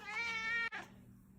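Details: Female Ragdoll cat at home meows at her owner to show what she wants: a loud, sustained, even-pitched meow of over half a second, broken by a brief gap, then a short fading tail.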